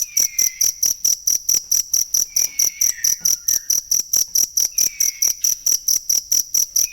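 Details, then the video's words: Cricket chirping for use in songbird tutoring, sharp high pulses repeating evenly about four per second, roughly two dozen over the stretch, while soft lower whistled phrases drift in and out behind it. "ASLI SUARA JANGKRIK BUAT MASTERAN BURUNG"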